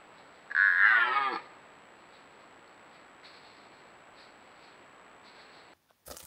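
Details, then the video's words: Wild red deer in the Považský Inovec mountains during the 2025 rut: one loud bellow, just under a second long, rich in harmonics and sliding downward, then quiet forest background and a brief knock at the end. "Red DEER Rut 2025"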